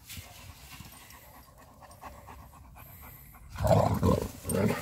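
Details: German Shepherd named Major meeting another friendly German Shepherd outdoors; quiet rhythmic panting for over three seconds, then a louder burst of breathy dog sounds near the end.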